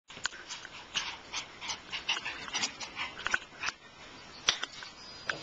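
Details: Shiba Inu puppies: a busy run of short, high, sharp yips and squeaky whimpers overlapping one another, several per second with brief pauses, suggesting more than one pup calling at once.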